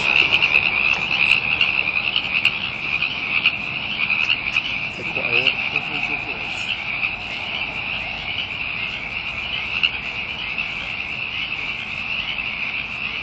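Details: Many frogs going nuts together: a steady, shrill, unbroken trilling chorus with rapid pulses, and a brief lower rasping sound midway.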